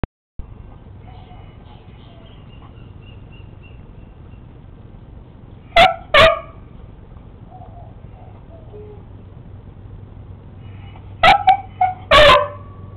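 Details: Sammy, a beagle, barking at a lizard: after a quiet stretch with a steady low hum, two sharp barks sound close together, then a pause, then two more barks near the end.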